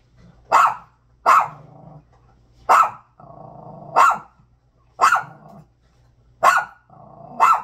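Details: A dog barking loudly at a bag: seven sharp, harsh barks roughly one per second, each followed by a low rumbling growl between barks.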